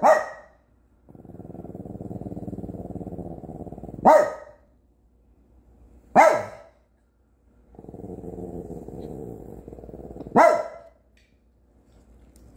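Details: Pet dog barking at firework smoke outside: single sharp barks about every two seconds, separated by long low growls; a woman's voice asks what is out there.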